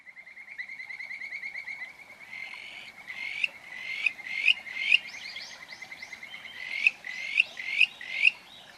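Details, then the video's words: Kajika frog in a field recording: a fast trilled run of notes gives way to clear, rising whistled calls repeated about every half second, steadily louder, over faint background hiss. "Kajika Frog カジカガエルの鳴き声"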